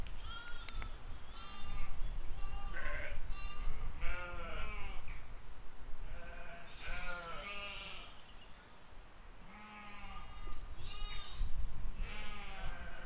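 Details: Sheep and lambs grazing in a field in spring 2020, bleating often and overlapping: wavering, harmonic baas of varied pitch, some higher lamb-like calls, steady low rumble of outdoor noise underneath.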